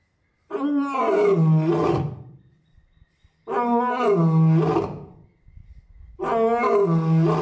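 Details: Captive adult male lion at Asahiyama Zoo, Japan, roaring over and over on 10 May 2024 while his mate and cubs are off display; three deep, drawn-out roars, each about two seconds, spaced roughly three seconds apart.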